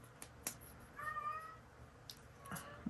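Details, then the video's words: Male Siamese cat calling loudly indoors: a long, wavering meow lasting about half a second, with scattered clicks and taps around it and low room hum. "y'all hear that cat? He drives me crazy. Anybody want a Siamese cat?"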